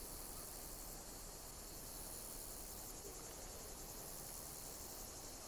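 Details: Insects chirping in nature: a thin, high shimmering band that swells in soft pulses about every two seconds, set over a steady, even broadband hiss.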